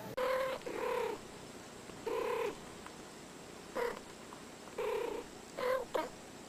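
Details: Domestic cat meowing indoors: a series of short, clear, harmonic meows, about seven in all, some drawn out and some clipped, with quiet gaps between them.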